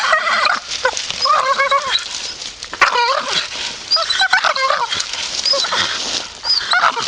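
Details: Grumpy Staffordshire Bull Terrier grumbling: a string of whiny, wavering moans that bend up and down in pitch, broken by short pauses and grunting bursts, with no other clear sounds.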